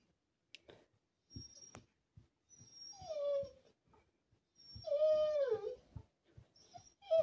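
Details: Mirah, a 12-year-old Alaskan Malamute, whines in long, wavering, falling tones until her owner sings with her, with soft knocks and rustles in between.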